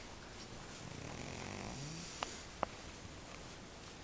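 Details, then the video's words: Boomer, a very large domestic cat, dozing off again indoors with a humanlike snore: one drawn-out, low, buzzy rasp midway, followed by two sharp clicks against a soft room hiss. "Boomer the kitty Snoring human style"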